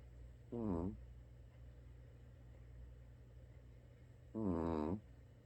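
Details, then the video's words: A sleeping Shih Tzu snores, producing two short, squeaky, wavering nasal snorts about four seconds apart, with quiet breathing between them and low steady room hum. "코골이하는 시츄"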